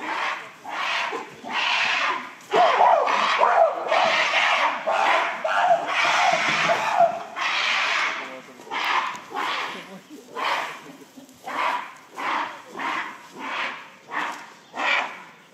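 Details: Shabani Group gorillas at breakfast in December 2023: female Nene screams while chasing the silverback Shabani, joined by her son Kiyomasa. Hoarse, broadband shrieks pulse in rapid bursts, dense at first, then spaced about once a second.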